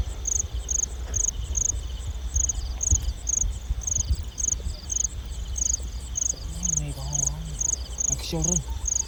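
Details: Night chorus of field crickets in rice-field countryside, recorded while catching them after dusk: crisp high chirps repeating roughly every 0.6 seconds, about fourteen, with a low hum and a short murmur of voice near the end.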